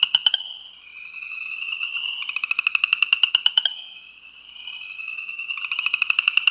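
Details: New Jersey chorus frog calling, series of rapid clicking pulse trains forming rasping trills repeated every couple of seconds, with a thin steady high whine running underneath.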